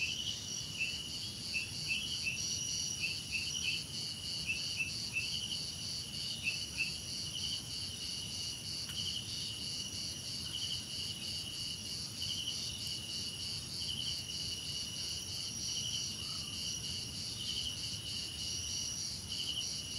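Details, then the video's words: Steady shrill cricket trilling fills a relaxing nature recording, a continuous pulsing hum in several high tones, with short clipped chirps breaking in during the first seconds, then fading to an unbroken drone. "Relaxing Cricket Sounds"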